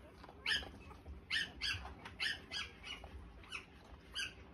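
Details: Newborn Australian Shepherd puppies, three days old, making short high squeaks repeated roughly once a second, uneven in spacing, over a low indoor background hum.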